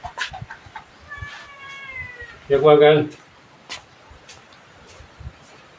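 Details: Small and large cats playing with a revered elderly monk at Wat Pong Chai, Chae Hom, Lampang, Thailand: a few thin, high, wavering mews, then one louder, fuller drawn-out meow, with faint voices and handling noises nearby.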